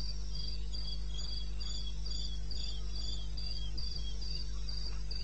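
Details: Cricket calling in the wilderness of eastern Botswana, recorded at 2:30 am on 21 May 16: high, thin chirps repeated about four times per second in a steady run, over a constant low hum.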